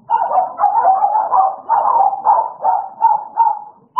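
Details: Playful American Bully pair Idol and Alice bark nonstop in overlapping mid-toned bursts for four seconds, ending in a sudden sharp bark.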